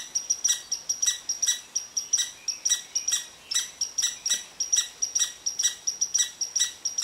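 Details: Angry red squirrel's rant at a resting Eastern Cottontail: rapid series of piercing, dry chips, some doubled, pulsing about three or four times each second without pause.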